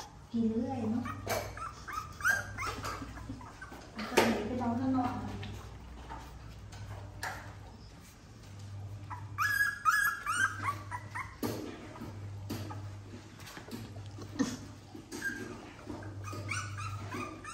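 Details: Puppies at play give sharp scattered yelps and several high thin whines, one drawn-out whine near the middle, while people talk nearby in Thai over a steady low electrical hum.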